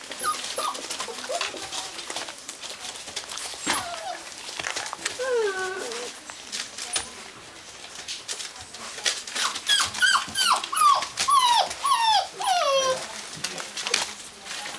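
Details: Gordon Setter dog whimpering with scattered falling whines midway, then a burst of rapid, high, downward-sliding whines near the end, with human speech and handling noise in the background.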